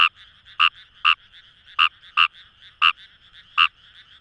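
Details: In rice paddies by the Kamo River, Itoshima, Japan, Fejervarya kawamurai utters bright, clipped croaks about every half second, seven in four seconds, against a faint continuous frog chorus.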